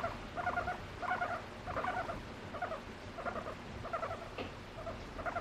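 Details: Female pet guinea pig seeking attention from her owner, expressing emotion through her voice: steady series of short, throaty pulsed bursts, each about half a second long, repeated roughly every half second against a soft background hum.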